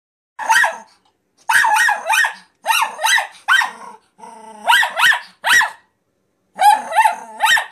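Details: Nine-month-old Miniature Pinscher named Zora reacting to a talking piggy bank: sharp yappy barks in quick doublets and triplets, separated by short pauses, with a brief electronic voice from the toy in between.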